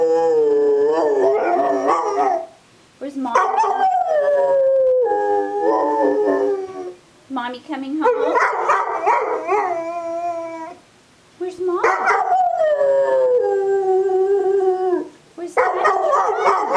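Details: A neighbours' pet dog "singing": a series of loud, wavering howls, each sliding down in pitch and lasting two to four seconds. The howls are separated by short silent gaps, with voices nearby.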